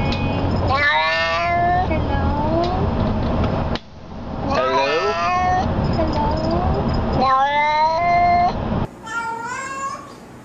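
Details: Cats saying hello meow repeatedly: several bright, wavering meows in quick succession over a steady rumbling background noise, with voices faintly present.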